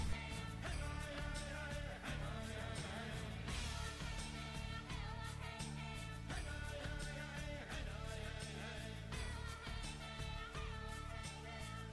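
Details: Pop-rock music with singing, guitar and steady drums fills the whole stretch, with no animal sounds anywhere.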